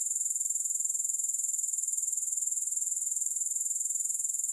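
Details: A shrill, unbroken grasshopper trill with no music, steady in loudness. Fast, regular pulses ride on a bright high hiss throughout.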